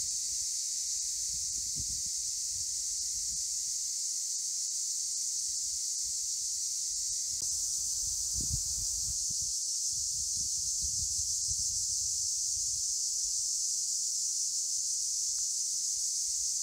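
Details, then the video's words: Cicadas in Akamas National Park, Cyprus, keep up a relentless high-pitched buzzing chorus, with scattered soft low bumps and rustles beneath. "Cicadas in Akamas National Park in CYPRUS"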